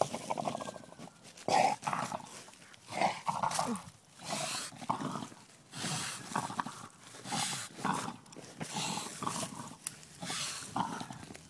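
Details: Bill, an English Bulldog, growls while playing with a basketball, standing on top of it; repeated rough growling bursts in runs of grunts and snorts, with scuffing of the ball and a woman's voice briefly in the background.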